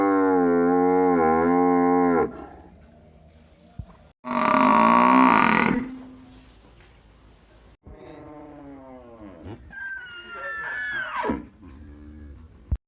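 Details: Village buffalo among cows: a loud, deep moo of two seconds, then a harsher, louder bellow, later a softer drawn-out lowing and a few higher tonal cries, with quiet pauses between.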